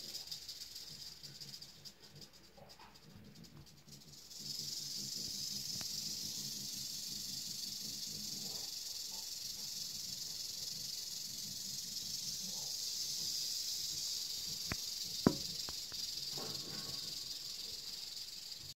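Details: Eastern diamondback rattlesnake rattling. After about four seconds of near quiet, a dry, hissing buzz starts suddenly and holds steady and unbroken to the end, with a few faint clicks and knocks underneath.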